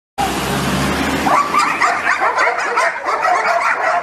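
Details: Dogs surrounding and chasing a car, barking in quick overlapping bursts that begin after a low engine-like rumble and continue almost without pause for about three seconds.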